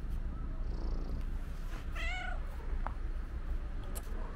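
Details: Black-and-white stray she-cat greeting her feeder at the place where she waits: one short, clear meow with stacked harmonics that bend upward then level off, with a constant low outdoor rumble and a faint click.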